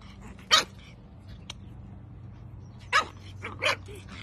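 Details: Pug dog giving three short, sharp barks spaced over about four seconds, the first alone and the last two close together, over a steady low hum.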